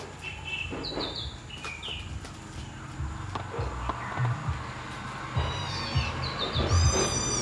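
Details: Kittens fighting: several short, high, squeaky mews with bright overtones come in scattered bursts over a steady low hum.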